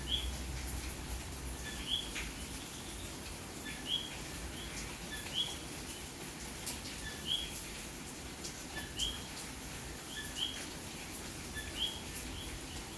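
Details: On a rainy night in May in Santurce, San Juan, Puerto Rico, common coquís call repeatedly. Bright upswept notes recur roughly every one to two seconds, with fainter answering calls, over constant rainfall.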